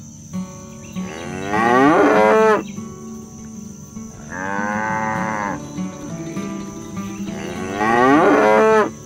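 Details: Herded cattle in the countryside calling friends back to the barn: three loud moos spaced a few seconds apart, the first and last wavering and falling, the middle one flatter and steadier, with soft tonal music in the background.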